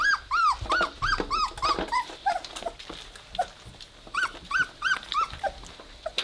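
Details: Three-week-old Weimaraner puppies playing together indoors; a run of short, high, arched whines and yelps repeated in quick bursts, several per second, with brief pauses between bursts.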